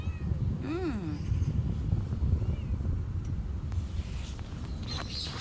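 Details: Husky-voiced stray neighbourhood cat, without a name, back outside after the rain: one quick meow that rises then drops, followed by a faint short call, with constant low rumbling background noise.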